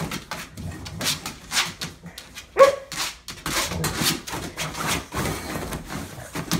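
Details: Boxer named Dexter in his kennel, upset that his water bowl is empty, throwing a tantrum; harsh, sharp bursts come in quick succession about every half second, with one brief tonal yelp midway, in a small indoor space.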